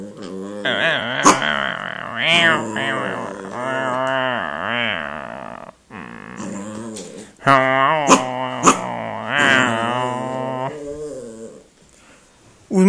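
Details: Indy, a pet dog indoors, wanting to play after a meal instead of resting: long moaning, grumbling growls with wavering pitch, rising and falling in drawn-out phrases, several seconds each, with a short pause midway and a few sharp clicks.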